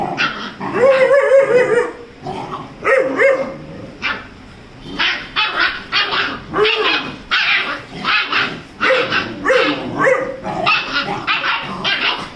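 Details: Rajapalayam puppy, 35 days old, fighting playfully with Dora, a Labrador; a high whine opens, then a long string of barks, yips and rough growly bursts, loud and irregular throughout.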